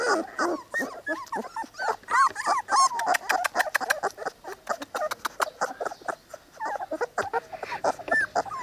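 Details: Cane Corso puppies, three weeks old, from a kennel litter: a busy chorus of high whimpers, squeaks and yips overlapping rapidly, with short rising and falling whines and occasional brief grunts.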